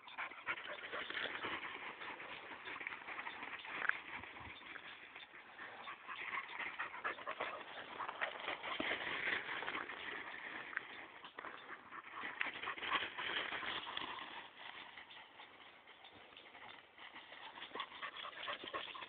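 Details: A 9-month-old English Springer Spaniel in the woods whimpers and pants in quick, breathy bursts.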